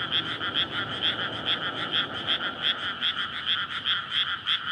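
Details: Night chorus of frogs courting in a rice field flooded for planting in May, Japan's residential edge; loud bright croaks repeat in quick regular pulses roughly twice per second over a soft low hum.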